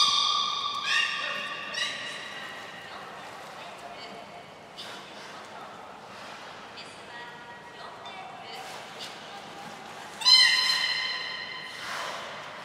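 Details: Aquarium belugas Gray, Nana and Mirai at Port of Nagoya Public Aquarium, training on 7 June 2022. Several harmonic squeals at the start, scattered faint squeaks and pulsed clicks in the middle, then one loud squawk near the end.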